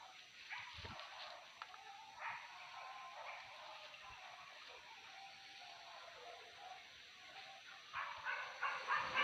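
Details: Hunting dogs barking during a wild boar pest hunt at Tarok, Sicincin, Padang Pariaman, West Sumatra; a dense pack chorus of yelping barks, many overlapping at a fast uneven pace, with a louder burst near the end.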